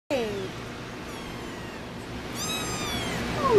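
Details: Munchkin kittens recorded July 17 indoors: a thin descending meow opens, a second falling harmonic cry follows after a pause, and a rising squeak closes; otherwise a quiet room hum.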